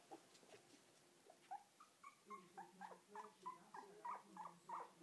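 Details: Mother dog with puppies indoors; a series of short, evenly spaced high whimpers, about three a second, each a brief nasal squeak, growing slightly louder toward the end.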